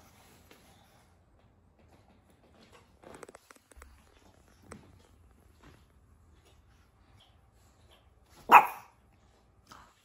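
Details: Pug puppy, four months old, in a quiet room: soft scuffling and faint movement noises, then one abrupt bark near the end followed by a brief small yelp.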